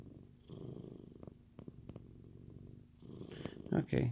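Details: Deep rhythmic purr from a contented male Siamese cat, pulsing about four times per second, broken by soft clicks, with a person speaking loudly over it in the final second.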